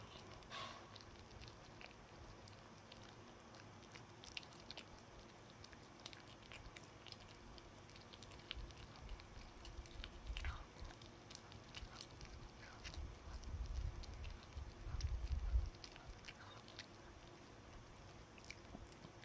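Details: Dog working at a chew in a small room, long run of irregular gnawing with frequent fine clicks, building to a louder, denser bout of crunching near the end before easing off.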